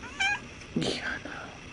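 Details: A patient pet cat waiting for its sleeping owner to wake gives one short, high, clear meow, followed at once by a woman's soft speech in a quiet room.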